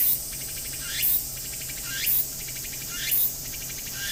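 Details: Tsukutsuku-boshi cicada calling energetically near Akisaizaki Station in Hiroshima Prefecture; shrill rising sweeps recurring roughly every second, separated by pulsing buzz, with a constant high-pitched background drone.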